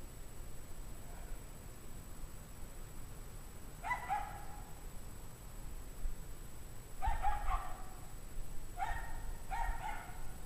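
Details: Several dogs of an unhappy pack bark at 5 PM on a freezing January 9, 2009, at 17 degrees Fahrenheit. After four quiet seconds, clusters of tonal, echoing barks arrive around four, seven and nine seconds amid low rumble.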